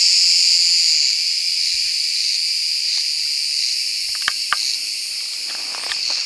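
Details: Cicada sp. singing through a warm summer day in Turkish Mediterranean woodland; a loud, continuous high-pitched rasping drone, strongest at the start, with a few sharp clicks midway.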